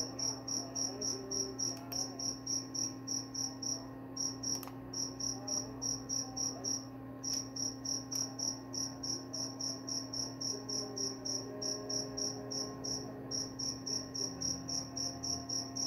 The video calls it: Suara jangkrik pengantar tidur dan juga mengusir tikus.